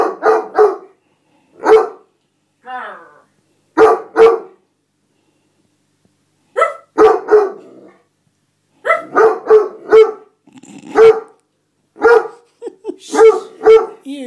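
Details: Tantrum of a male Otterhound–Spinone mix whose seat was occupied: bursts of two or three complaining barks repeated every second or two with short pauses, some moaning, a man's voice in between.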